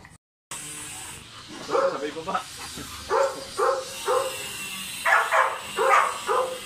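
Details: Golden Retrievers during a stud session between Dugal and Lyla, the dam from QC; a string of short, harmonic yelping barks in bursts about every half second, with people talking in the background.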